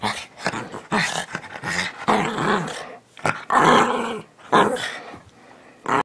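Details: Shih Tzu Bichon Frise teddy bear dog "talking" almost without pause, with overlapping growly grumbles and rising-falling moans, dense and slightly noisy, as if close up in a small room.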